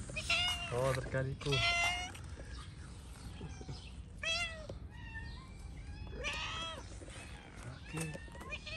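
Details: Stray cats on a street in Morocco, one meowing for food as others gather; a string of about six rising-falling, harmonic meows spread over eight seconds, overlapping a man talking nearby.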